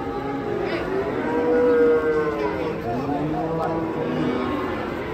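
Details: A fat cow (sapi lemu) lets out a long, even moo that swells and then fades, heard over steady background hum and faint distant voices.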